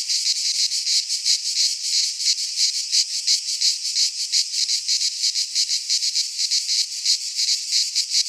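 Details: Greek pine-forest cicadas in midsummer produce an intense shrill whirring, pulsing several times a second with slight swells in loudness, a seamless insect chorus.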